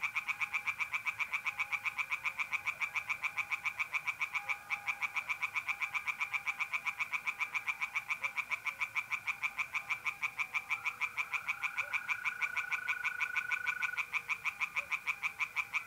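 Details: Tree frogs singing at night in a pond in north-east Italy in mid-April: a dense chorus of rapid, harsh pulsed croaks at several per second, overlapping callers, with a steady high trill of mole crickets running underneath throughout.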